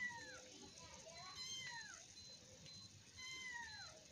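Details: Young kittens wrestling in play: a few thin, downward-sliding mews spaced irregularly, partly overlapped by a person talking quietly in the background.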